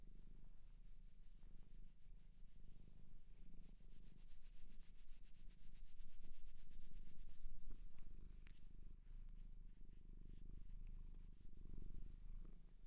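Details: Cat adopted from a shelter in Japan purring loudly and rhythmically, a rapid low throb that grows stronger midway, accompanied by gentle rubbing and stroking noises against fur.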